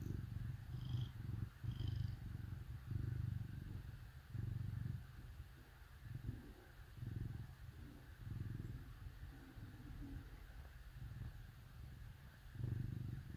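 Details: Cats snuggling with dogs on a cold winter day; low, rumbling purr in pulsing bursts that swell and fade every second or so, with a couple of faint high squeaks early on.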